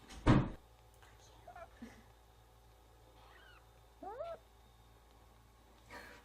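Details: Newborn kittens crying with their mother away: a sharp knock opens, then three short, quiet, upward-sweeping squeaky mews come spaced a second or two apart in a quiet room.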